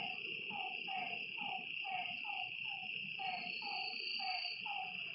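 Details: Night frog chorus by a lake: brief drooping croaks repeated roughly every half second, with a continuous high-pitched insect trill behind them.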